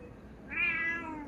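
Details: Domestic cat meowing to call its owner after another cat scared it away from its food; a single drawn-out harmonic meow that rises and then slowly falls, with a quiet room behind it.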